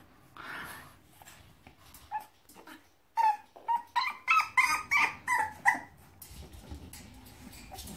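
A bulldog puppy gives a rapid series of high, quavering whimpers and yips, each rising then falling, about three a second. It is asking to be let out of its crate; a person's voice is briefly heard beforehand.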